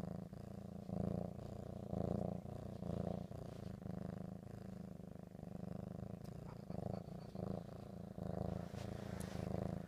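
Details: Domestic cat Ricky, excited over ham, purring continuously: a deep, throbbing rumble rising and falling in slow waves about once a second, with faint background hiss.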